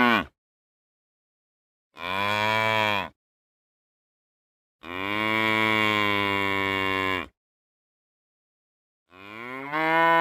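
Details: Real cows mooing: long, loud, deep lowing calls with rich harmonics, the longest about two and a half seconds, separated by silent gaps, with a new moo starting at the end.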